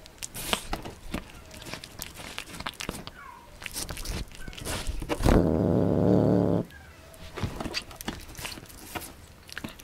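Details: Pet cat reluctantly eating beef and egg indoors, scattered clicking chews and smacks, broken by a low, rough, even growl held for just over a second before the chewing resumes.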